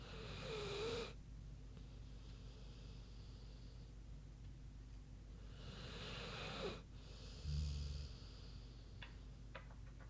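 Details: Sleeping pig named Queenie snoozing: two long airy breaths with broad hissing noise, each about a second, spaced roughly six seconds apart, followed by a short deep rumbling snore and a few faint clicks.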